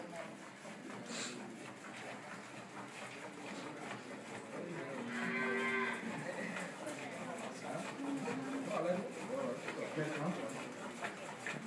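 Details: Crossbred 7/8 Montbéliarde dairy cow, born in Mali, on a farm in Bamako and giving 25 to 30 litres of milk a day. It lets out a single drawn-out, harmonic moo midway, with people talking around it and farm background noise.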